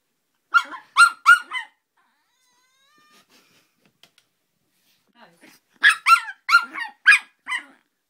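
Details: Joey, a dog, barking at a Mike Wazowski figure he hates; two bursts of sharp, high, clipped barks in quick runs of three to five, separated by a quiet gap with faint rustling.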